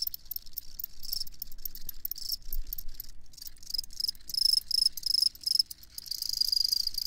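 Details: Field crickets chirping: shrill, high, pulsed trills rise and fall in bursts, with short pauses, and grow louder and steadier toward the end over a faint low background rumble.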